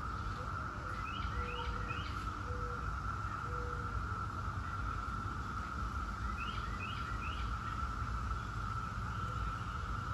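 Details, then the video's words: Brood X 17-year periodical cicadas sustain an even, unbroken whirring drone; bird chirps sound in two quick groups, and short low whistled notes repeat in the first few seconds. "17-Year Cicada Brood X Sounds"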